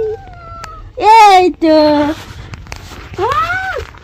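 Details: Angry house cat being bathed lets out loud, arching yowls: two sharp rising-falling cries near one and two seconds, a third later, with a quieter thin cry at the start and human voice nearby.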